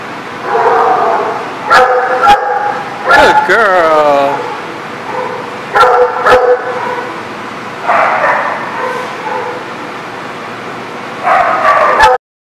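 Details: Dogs barking on June 29, 2019: repeated short bark bursts at irregular intervals over twelve seconds, plus one rising and falling whine-like cry, with a person talking and steady background noise.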